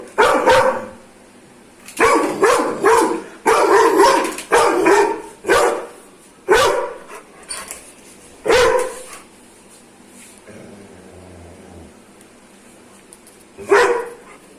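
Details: Aggressive Doberman dog barking in a long series of loud, rough barks, some in quick doubled bursts, then a pause of several seconds with faint low rumbling before one final bark.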